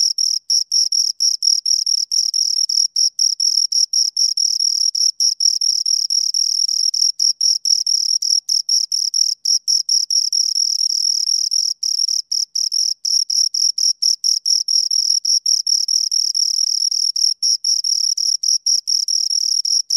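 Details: A pair of crickets stridulates steadily, a high, ringing trill of tightly packed pulses that barely pauses, interrupted only by occasional short breaks, loud and isolated from any other noise.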